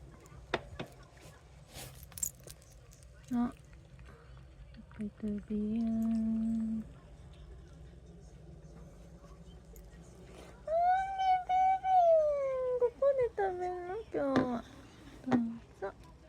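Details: Domestic cat, one of three living together, meowing as it is offered treats; a long, arching, drawn-out meow is followed by a few shorter falling mews, with a person talking softly before and between the calls.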